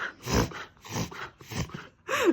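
A corgi reverse sneezes: rapid, harsh snorting inhalations that come in repeated bursts.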